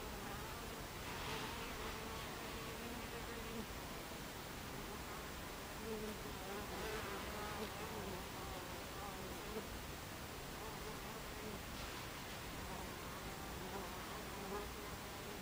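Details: Buckfast bees coming and going at a hive entrance, 26 July 2013, 14:30: continuous low buzzing with clearer sliding wing tones from nearby fliers, swelling briefly a few times.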